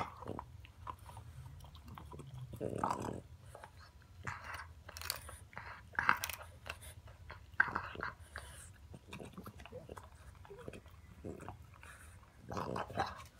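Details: A French Bulldog puppy chews noisily on a pig trotter treat, with irregular crunching and gnawing bursts and some quiet human speech.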